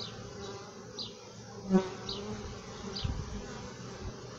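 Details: Honey bees inside the hive, a steady low droning hum of many wings with a few louder passing buzzes and faint higher ticking sounds.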